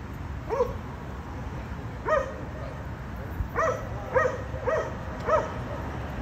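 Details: Dogs barking at a condominium, a nuisance to neighbours three times daily; six loud, sharp barks arrive in an uneven run, mostly in quick pairs, over a constant low background rumble.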